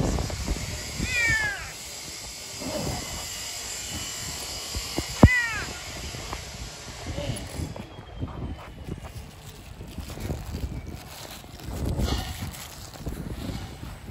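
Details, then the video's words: Hungry yellow stray cat living on the streets crying out. Two drawn-out, falling meows, one near the start and one near mid-clip, over steady outdoor rumble and noise. A person speaks Turkish, asking why it is not eating. "Yellow cat meows crying."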